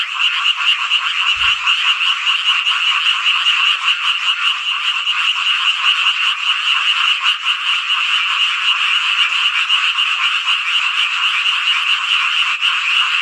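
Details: Frogs chorusing on a midsummer night in Hongcheon, Gangwon Province, South Korea: a dense, unbroken wall of overlapping croaks with a bright rattling edge, steady in loudness throughout, with one brief low thump early on.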